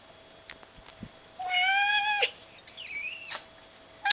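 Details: Second of two pet cats in a house, called by name, gives a long, clear, slightly rising meow, then a softer wavering mew and a brief final chirp, in a quiet indoor room.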